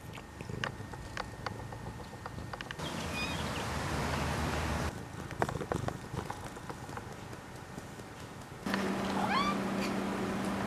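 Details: Mish Mish the cat lets out a clear, drawn-out meow that falls in pitch near the end, after a stretch of clicks, rustling and faint indoor noise.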